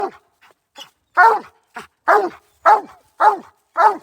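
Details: Hunting hound in Iowa barking at a raccoon treed above it. Loud, hoarse barks come about every half second, seven strong ones in a row after a few faint short yelps, in an otherwise quiet outdoor setting.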